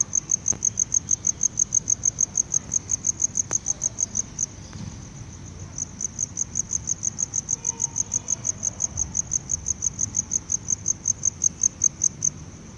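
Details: A tropical house cricket (Gryllodes sigillatus) calling, a high, thin chirping trill of short pulses repeated rapidly and steadily.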